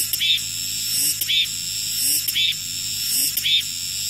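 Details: Cicadas singing after the rain stops: four bright rasping pulses over a constant high sizzling drone, with weak low rising chirps between them.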